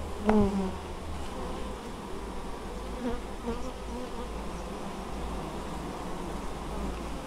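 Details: Many honey bees busily gathering honeydew at a Polish apiary in Moszczanka, Opole Voivodeship, 19 August 2013; continuous droning hum, with a louder bee buzzing close past near the start and another passing around three seconds.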